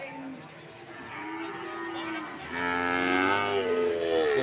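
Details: PO cattle at Sokaraja market in Banyumas, Indonesia: a low, steady harmonic lowing at first, then a louder, wavering moo that bends up and down during the last two seconds, with background market noise.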